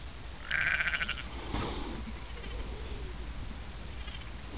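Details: One-week-old Merino lambs playing and running around in gangs in NSW, Australia, with mothers following; one short, high, wavering bleat near the start, followed by rustling and a low steady rumble of background noise.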